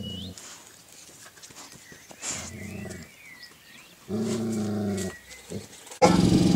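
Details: Golden Retriever puppies at play at a breeder's kennel: low, rough, harmonic growling bursts, the loudest near the middle and another at the end, with faint high squeaks and whines between and soft background noise.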